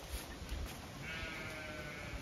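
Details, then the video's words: Zwartbles ewes in a field on a regenerative farm in County Kilkenny, Ireland, chatty as their field is checked; a single drawn-out, harmonic bleat rises in after a second and holds steady, over low rumbling background noise. "Ewes all very chatty as I check their field"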